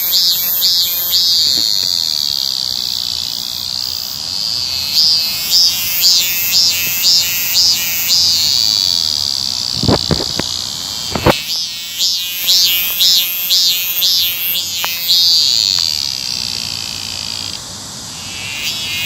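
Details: Cicadas singing on 9 July 2018 on the route to Hwaseo Station, high pulsing buzzes swelling in runs about twice per second, with a few sharp clicks and a brief knock partway through.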